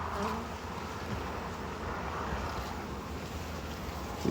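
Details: Honey bees at a hive during a honey harvest and hive expansion, the frames looking full of honey: a steady, dense droning hum fills the recording, with low rumbling handling noise underneath.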